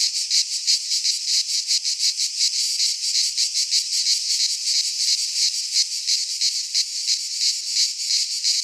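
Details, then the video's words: Midsummer chorus of cicadas in a pine forest in Greece, a harsh high-pitched rasping drone beating in quick regular pulses, roughly three per second, nothing else audible. "Cicadas singing in midsummer"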